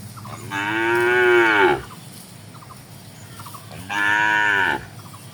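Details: Tame cattle gathered in a wide green rice field, grazing calmly in the morning: two loud drawn-out moos, each about a second long, with rich harmonics and a slight falling end, separated by a quiet pause with faint background hum.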